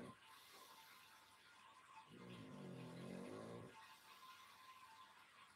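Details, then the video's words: Pangpang, a pug, asleep in his winter dog bed on the sofa, gives one drawn-out, low rumbling snore lasting about a second and a half, with quiet indoor room hiss before and after. "Sleepy Pug Sound ASMR"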